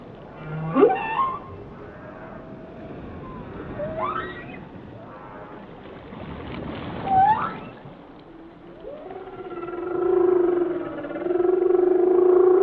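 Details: A whale sings a series of sharp rising whoops at intervals of about three seconds, then settles into a long, steady, buzzy low tone with layered harmonics over the final seconds, with underwater hiss throughout.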